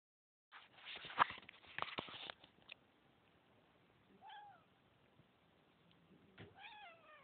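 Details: Domestic cat recorded on a phone: rustling and handling noise at first, then two drawn-out meows with a rising then falling pitch.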